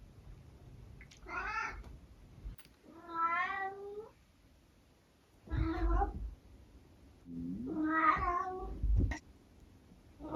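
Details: Domestic tabby cat trying out a range of meows during one breakfast time in the morning, indoors: four drawn-out, wavering, harmonic-rich meows, some rising then falling, spaced irregularly across ten seconds, with short clicks between.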